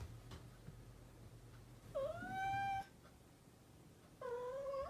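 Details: A domestic cat, called a mischievous cat, lets out one long, steady meow that rises slightly and holds, then starts a second, flatter meow after a pause, over a low background hum.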